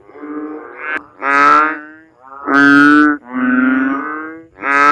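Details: Banded bullfrog (Kaloula pulchra), call.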